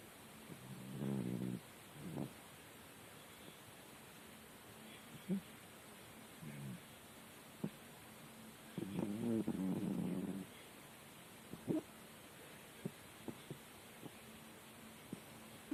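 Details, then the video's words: Domestic cat Murik asleep and snoring like a person: uneven low, grating breaths, a short one early and a longer rattling snore near the middle, with scattered soft clicks and ticks in between. "Кот Мурик храпит как человек"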